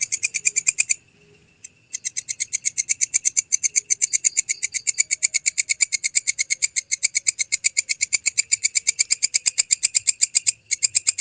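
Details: Training audio for songbirds featuring a walang kecek grasshopper: brief pulsing, a one-second break, then a long, fast, somewhat uneven run of buzzy ticking pulses near three per second.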